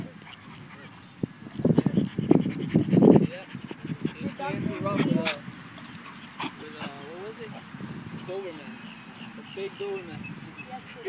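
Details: Pit Bull at a park, playing with another dog: a cluster of rough, low bursts of barking and growling about two seconds long, followed by softer whimpering. People talk throughout and call out to the dogs.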